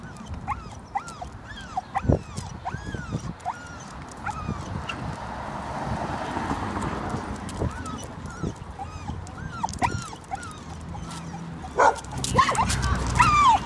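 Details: Three-year-old male American Staffordshire Terrier (red nose pit bull), leash reactive, walking on leash outdoors as a couple of dogs cross the street toward him; thin high arched whimpers and yips repeat irregularly over a low background rumble.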